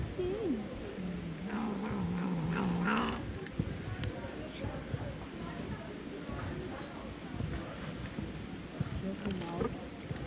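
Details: Fluffy tortoiseshell cat, described as a little jealous, making odd low wavering murmurs and grumbles while eating, with chewing and clicking sounds and a noisy background.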